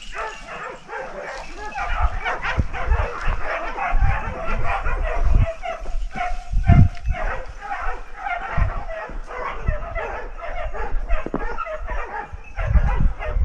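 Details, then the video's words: In Ribagorza, Huesca, a pack of dogs keeps a big wild boar at bay with continuous, overlapping barking and yapping. Low thuds and a voice come through the steady chorus. "Lance a un gran jabalí parado por los perros"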